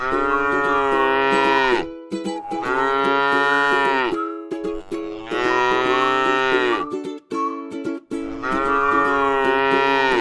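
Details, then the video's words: Tame cow at rest in a rice field: four long, full-toned moos of roughly two seconds each, separated by short gaps, with light plucked instrumental music in the background. "suara sapi lucu jinak yang sedang istirahat di sebuah ladang sawah yang indah"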